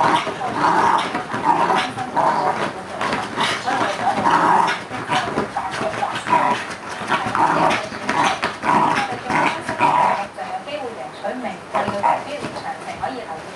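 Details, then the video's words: Fox terrier Caesar attacking a hole in a frenzy, giving continuous rough growls and snarling barks in dense overlapping bursts, with scrabbling and a few human voices mixed in. "CRAZY Fox terrier caesar fighting hole~!!!"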